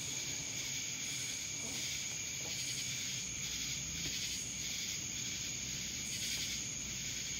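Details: Loud insect drone from cicadas in Dallas, Georgia: a sustained high whine with irregular swelling buzzy pulses and a soft low rumble beneath.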